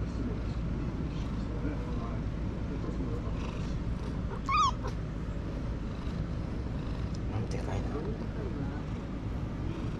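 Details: A stray black-and-white tuxedo cat (hachiware) sits in an air-conditioned waiting room during an unusually hot summer and gives one short wavering meow midway, set against a steady low hum and faint room noise.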